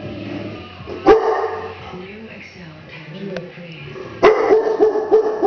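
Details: A dog growls at a deer head hanging on the wall. A low rumbling growl leads into two sharp barks, one early and one late, and a quick burst of barks closes it. A person talks throughout.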